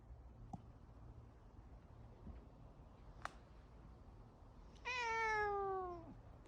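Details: Domestic cat meowing while yawning indoors, one of two sister cats: after quiet room noise and a couple of faint clicks, a single drawn-out, slightly falling, nasal meow lasting about a second near the end.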